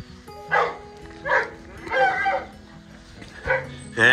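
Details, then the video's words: Dogs excited at feeding time: five short bursts of yelping barks spaced about a second apart, the last one higher and shriller, over steady background music with low hum. "They Get So Excited for Feeding Time!"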